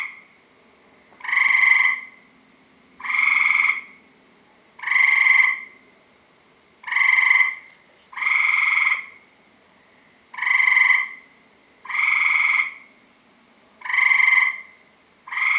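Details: Tree frogs give loud, harsh honking calls about every one and a half seconds. Several frogs are calling, part of a chorus heard around a house every night from about 7 PM.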